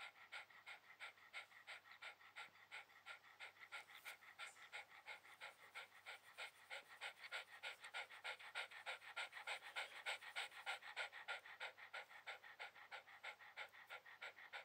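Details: Shiba Inu relaxing on a towel, panting steadily in fast, even breaths of about three per second throughout, each breath a soft airy hiss, with no other sounds.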